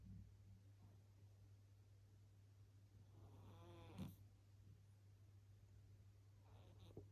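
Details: Sleeping cat Meyvoş gives one drawn-out, ridged snore that builds and ends in a brief sharp snort, with faint breathing afterwards and a constant low hum throughout.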